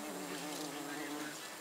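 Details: Bee among snapdragons: a continuous low, even buzz holds steady for the whole moment, partly buried in a wash of hissy noise.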